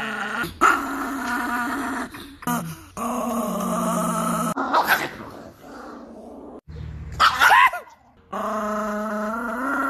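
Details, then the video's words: Angry Chihuahua named NiKi growling in long, steady rumbling stretches broken by short pauses, with a few sharp, high yelping outbursts near the middle and end. "The most angry 😡 chihuahua dog in the world"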